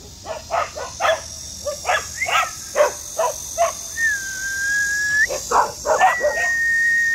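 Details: Border Collies in Yeoju on a sweltering heatwave day, clamouring for the door to be opened: rapid, uneven volleys of short, bright barks throughout, with a long steady whistle-like tone sounding over the barking midway and again near the end.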